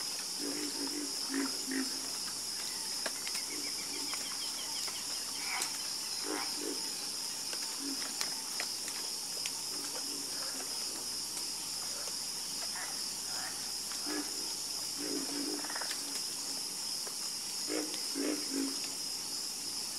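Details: Night-time frogs croaking in scattered groups of two or three short, throaty notes, with long gaps between them, beneath a constant shrill insect hum.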